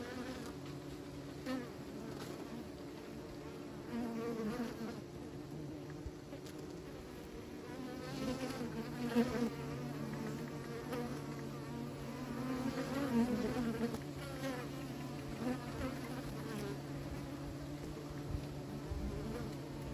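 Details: Continuous droning of a beekeepers' colony, many bees buzzing together in a thick low hum, with occasional swells as single bees fly close by.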